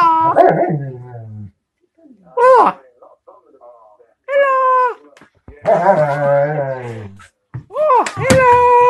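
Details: German Shepherd playing with an electronic hedgehog toy, giving drawn-out whines and short yelping cries in separate bursts, some rising then falling, with a person speaking nearby.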